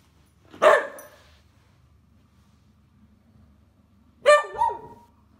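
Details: Roscoe, a hyper male whippet kept as a pet, gives two sharp barks about three and a half seconds apart, each a bright broadband burst with a rising, yelping tail; quiet indoor room between.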